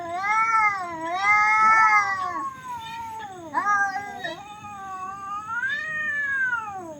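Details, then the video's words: Cats fighting, giving loud, weird, drawn-out wailing yowls that waver up and down in pitch, with a falling howl near the middle and a long rising then sinking wail at the end. "cats fight very loud and weird sound"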